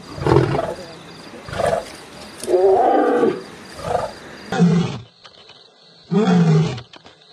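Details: An Asiatic lion gives deep, resonant, throaty grunting roars in short bursts about a second apart, rising and fading, with faint background hiss, on safari at Sasan Gir National Park.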